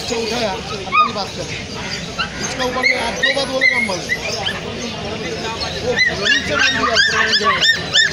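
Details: Golden Retriever puppy of imported bloodline at Galiff Street gives a quick run of high, arching yips toward the end, with softer whimpers earlier, all beneath steady human talking and background chatter.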